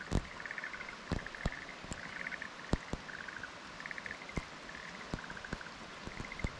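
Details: Black-spotted pond frog calling in a fallow field at Kumakogen, 15 May 2022: short pulsed, rattling bursts repeated every second or so, with sharp clicks and knocks scattered through the background.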